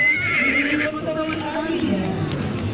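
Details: Tinker horse, also called Irish Cob or Gypsy Vanner, at a breed parade show arena; a high whinny opening strongly then sliding down and fading, over steady crowd noise and hoof sounds.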